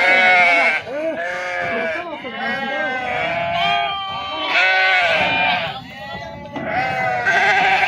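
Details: Crowded bleating of sheep being unloaded at the Pebbair sheep and goats market, loud overlapping quavering cries in long bursts with a brief lull near the middle, and people talking throughout.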